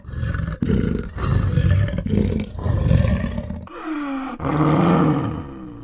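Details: Leopard (Panthera pardus), rasping roar.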